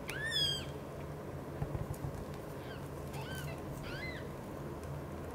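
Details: British Shorthair mother cat Xaxa devotedly caring for three kittens, Piano, Miracle and Cream: one loud, high arched mew at the start, then two softer rising-falling mews near the end over a steady low indoor hum.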